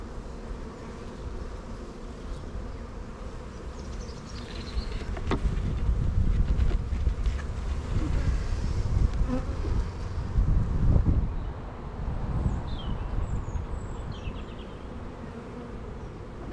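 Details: Colony of honey bees at an opened hive in an apiary during inspection, workers building drone cells among many young bees; dense low droning hum swells loudly midway, then eases, with scattered taps and faint high chirps late on.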